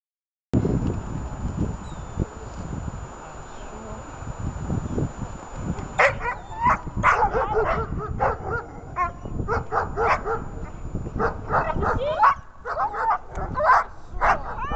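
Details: Dog in attack training during a search exercise: low rumbling handling noise for six seconds, then bursts of sharp, rapid barks repeated densely to the end, with some human voice mixed in.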